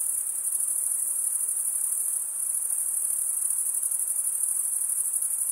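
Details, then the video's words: Continuous stridulation by crickets, mostly males, for relaxing listening: a bright, thin, high trill with a quick, slightly uneven pulsing texture and nearly constant loudness. Nothing else is audible. "Most relaxing cricket sound for 8 hours"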